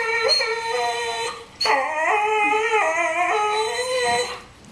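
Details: Nico, a dog jealous of another dog Bandit's bone, gives a long, nasal, harmonic whine. It holds steady, then breaks after a brief pause into a second, wavering whine that dips and rises before fading out.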